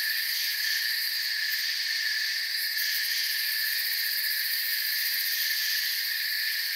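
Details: Crickets fill a forest night-style ambience with unbroken high chirping layered in bright bands, a slight rapid pulsing on top, and no birds, wind or voices.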